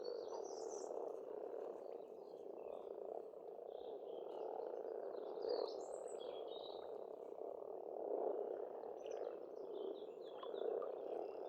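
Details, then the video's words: Frogs croaking together at a pond in Estonia in spring, an unbroken, gently surging chorus with occasional louder swells, and faint scattered bird whistles above. "Расслабляющее пение птиц и лягушек, весна, природа."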